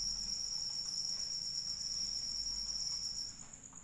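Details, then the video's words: Crickets trilling during rain; the high, rapidly pulsed buzz holds steady, then its lowest band cuts out near the end while the higher trill carries on, over quiet rain. "Suara Hujan dan Jangkrik Pengantar Tidur"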